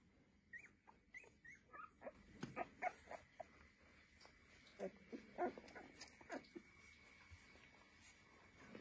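Week-old Golden Retriever puppies squeak and whimper in short, high, irregular bursts, several calling at once.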